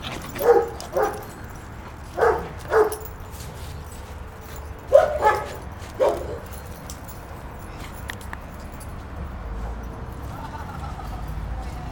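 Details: Puppies Moe and Bambi wrestling at play, letting out paired short barks and yips in bursts over the first six seconds, then quieter rustling with a faint whine near the end.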